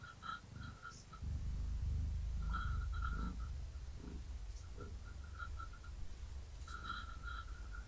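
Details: Gaia, a pregnant long-haired tabby cat, purrs while being petted and scratched, her kittens moving inside her. A deep, steady low rumble pulses throughout, with faint short high tonal beeps recurring in the background.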